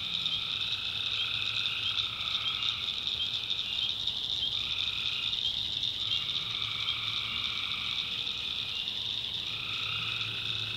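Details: Nighttime swamp in the North Carolina backwoods with tree frogs giving long, even, buzzy notes lasting one to two seconds, separated by short gaps, against a continuous shrill background chorus.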